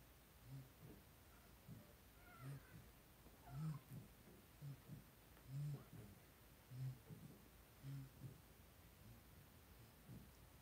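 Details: Five blenheim Cavalier King Charles Spaniel puppies, two weeks old and born on New Year's to Paris and Spike, in a home puppy pen: low soft grunting snuffles repeat roughly once a second over a steady background hum.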